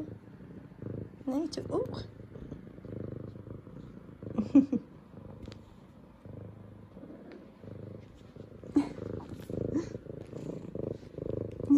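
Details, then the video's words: Indoors, F2 Savannah cat Zara, a female welcoming her owners back from work, keeps up a low pulsing purr with a few tiny high chirps, while a woman speaks softly to her. "Cutest Good Morning Meows From Sweet Savannah Cat Zara!"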